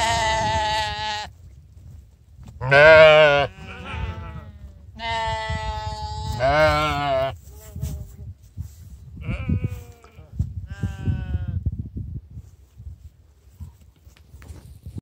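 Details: Sheep being called to breakfast answer with several strong, wavering bleats in the first seven seconds, then fainter, shorter bleats further off over soft trampling and rustling noise.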